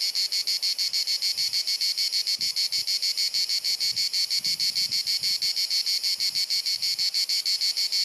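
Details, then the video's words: Summer cicada chorus in Dalmatia, Croatia, on a hot sunny afternoon, a steady high buzzing chirrup pulsing roughly three times a second without pause, with soft low background noise. "Cicada Singing ☀️ Pjesma Cvrčka ☀️ Chant des Cigales ☀️ Zikaden Geräusche ☀️ アブラゼミ☀️Cigarra Cantando"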